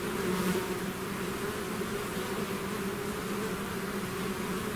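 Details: A swarm of bees outside its hive gives off an even, rumbling buzz, many wings humming together in a constant low drone with slight flutters in loudness.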